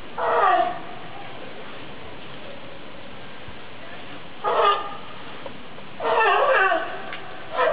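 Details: California sea lions at Opole Zoo, Poland, give loud, hoarse, honking barks in three separate bursts over steady background noise.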